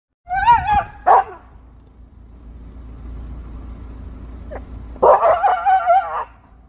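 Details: Siberian husky vocalizing at a squirrel up a tree that won't come down: a wavering, howl-like yowl, a sharp yip, a pause, then a longer warbling, talking-style moan.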